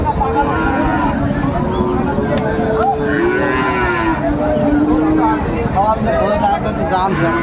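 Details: Shahiwal and Friesian bulls at a crowded cattle market in Narayanganj, Bangladesh, 27 February 2025; drawn-out, low, steady moos overlap one after another, some sliding slightly in pitch, over a dense background of market voices.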